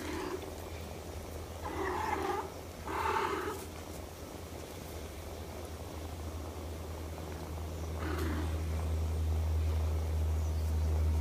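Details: Domestic cat mother nursing her kittens: two short, harmonic mews close together early on, then a fainter third call later, over a steady low hum that grows louder toward the end.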